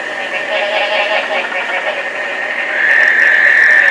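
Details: Summer-rain breeding chorus of frogs at Placencia, Belize, some calls like squeaky rubber toys; thick overlapping pulsed calling throughout, swelling near the end into a loud sustained high-pitched drone of many callers.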